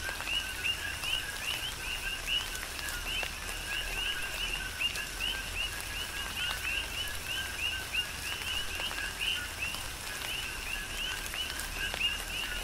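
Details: Tropical rain with calling coqui frogs, Big Island, Hawaii: rhythmic two-note calls, each a short lower tone followed by a sharp rising peep, repeated by many frogs at once, with louder raindrop taps and a hissing rain background.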